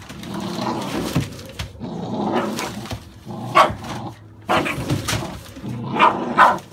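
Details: Short sharp yaps and barks from American Staffordshire Bully puppies born in November 2017, mixed with higher whiny yelps. The calls come in scattered bursts separated by brief quiet gaps.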